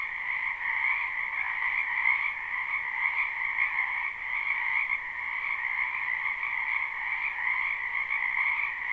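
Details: Many frogs croaking together in a wetland behind a house in spring, a live unlooped recording; a dense, steady trilling chorus with two bright bands, continuous without pauses, no other sounds.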